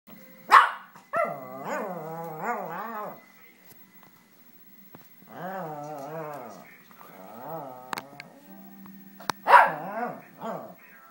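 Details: A pet dog makes weird vocal noises while scratching his rear end on the underside of a coffee table indoors: wavering, moaning whines and groans in several bursts, with a few sharp thumps and scuffs between them.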